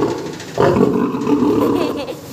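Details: Captive lion at Kanan Pendari Zoo in Bilaspur, Chhattisgarh, giving one deep, hoarse, drawn-out roar that starts abruptly and fades over about a second and a half, with faint crowd chatter behind.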